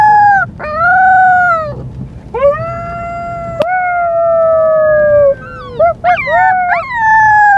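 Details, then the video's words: Young white female husky Luka on her first day home: sustained level howls, each held a second or more, ending with a cluster of quick warbling yips. "Husky puppy howling"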